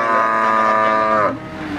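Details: Cattle at the Wagenan cattle market in Margorejo, Pati, Central Java, Indonesia, on 5 March 2019: one steady, drawn-out moo held for over a second, then breaking off in a short falling tail, with a market hubbub behind it.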